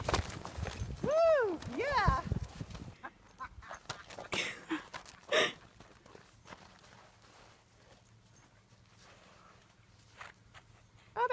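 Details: Arabian horse in its field, galloping and bucking in high spirits alongside pasture mates; an arching, wavering, harmonic whinny rises and falls over about two seconds, followed by scattered thuds of hooves and brief outdoor noise.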